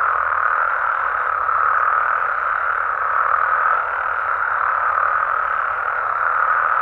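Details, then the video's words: A nighttime chorus of frogs and toads in a Mexican amphibian habitat: a continuous, unbroken wash of many overlapping croaking calls, swelling and easing slightly in loudness, with no other clear sounds. "Mexican Frogs & Toads Sounds"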